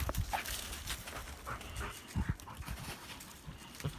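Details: Labrador Retrievers from a breeding kennel at Kloster Marienthal playing together in a forest; short, breathy panting bursts amid rustling, with a little human speech.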